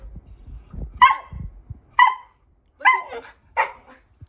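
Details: Siberian husky, a pet dog wanting to play, gives four short, clipped, bright yelping barks spaced roughly a second apart, the last two rougher and slightly quieter, with faint low thumps and rustling before the first bark.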